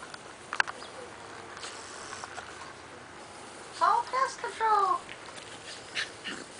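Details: Miniature Dachshund puppy Junebug and her sister Lil-bit, dressed as killer bees for Halloween, play-fighting on a playdate: a brief cluster of short, high, wavering whines and yips midway, amid soft scuffling and rustle.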